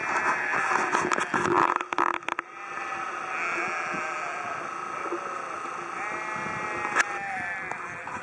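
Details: Flock of sheep bleating in Haugesund, Norway: rustling and handling noise at first, then several long quavering bleats from different animals overlapping.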